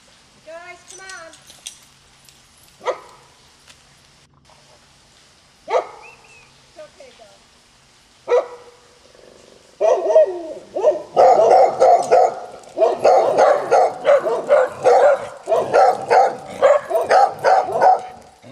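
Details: Dogs living at a remote canyon home bark at someone riding past; scattered single barks and a yelp at first, then several dogs join in a dense, overlapping burst of rapid barking.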